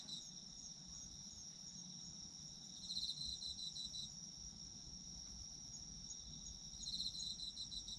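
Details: Autumn insect chorus for sleep: a steady shrill high hum throughout, with two short bursts of pulsed chirping about four seconds apart, set against faint low background noise.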